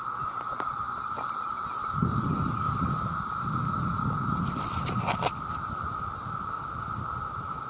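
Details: Vast chorus of male cicadas calling for mates, loud enough to harm hearing: a steady, unbroken high drone with a shimmering upper hiss, and a low rumble of background noise swelling in the middle seconds.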